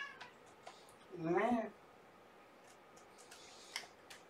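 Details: One kitten of Olympia's shelter litter of three, born November 22, recorded indoors on a morning visit in March 2018; a single bent, harmonic meow lasting about half a second stands out over a quiet, hissy room background with faint clicks.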